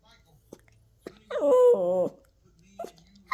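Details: Theo, a Toy Poodle puppy mid-tantrum indoors, lets out a drawn, wavering whine-howl lasting under a second, bending up and down in pitch, framed by short yips and soft grumbles in a small room.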